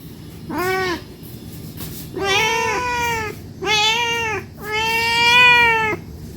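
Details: A cat begs for food because it is hungry, giving one short meow then three long drawn-out, bright, strongly harmonic meows lasting up to a second and a half each.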